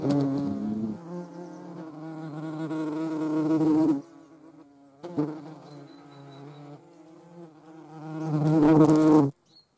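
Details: European hornet near a median wasp: a loud, low buzzing drone with harmonics, swelling and fading, briefly breaking off around four seconds and ending abruptly, with a sharp click midway.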